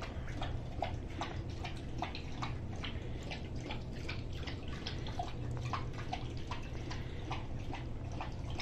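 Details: Rousseau, a Greater Swiss Mountain Dog, laps up a soup of turkey, carrots, cauliflower, red bell pepper, coconut oil, flax seed and water: steady wet slurping strokes about three per second, unbroken throughout, indoors.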